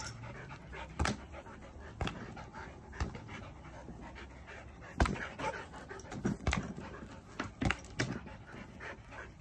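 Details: Playing swingball in the United Kingdom, a Border Collie pants in soft rapid huffs while the ball cracks loudly about once a second, with faint background hiss.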